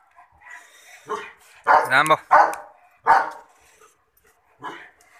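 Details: German Shepherd giving a few loose barks and yelps, one drawn-out wavering bark in the middle, with irregular gaps between sounds and a brief human voice.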